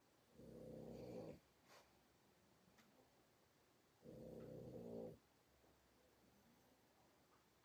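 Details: A Boston Terrier wearing a cone snores loudly, each breath a coarse, buzzing, rattly rumble lasting about a second, one roughly every four seconds, with quiet room noise between.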